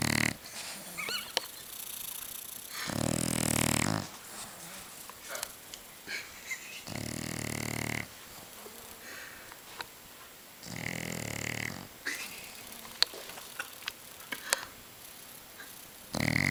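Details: French Bulldog snoring: a raspy, wheezing snore drawn in roughly every three to four seconds, each breath a rough, buzzy rattle, with quieter breathing between.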